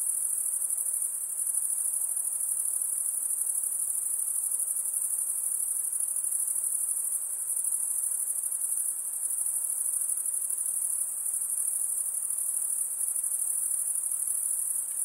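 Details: A continuous high-pitched insect chorus rings evenly for the whole stretch, a thin shimmering trill with tiny dips in loudness and no other clear sounds.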